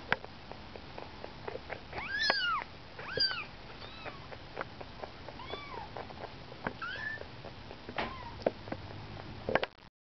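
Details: On their first walk outside the nest, 19-day-old kittens give loud arched squeaking meows early on, then softer scattered mews and clicks, several kittens calling over a faint low rumble.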